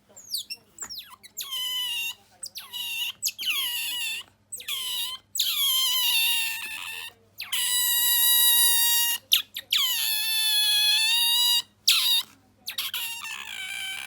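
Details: Bingo the otter indoors giving a new trilling squeal never produced before, a rolling "gyururu" sound: a long run of sharp falling squeaks and drawn-out harmonic wails, one after another over fourteen seconds, with steady low electrical hum.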